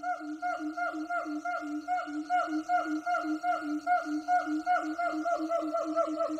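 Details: Distant troops of wild siamang gibbons calling in jungle, their voices eerily human: a fast run of short, harmonic, hooting notes, about two or three a second, each dipping then lifting in pitch over a steady droning background.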